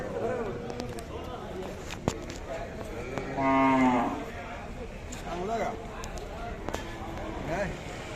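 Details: Khillar cattle at the Sangola cattle market, India, 12 May 2024; one loud harmonic moo of about a second rising then falling, among distant moos, people talking and market noise.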